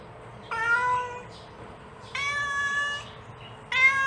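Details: Mother cat calling her kitten: three long, even harmonic meows, the middle one nearly a second long, separated by short pauses with a faint low hum behind.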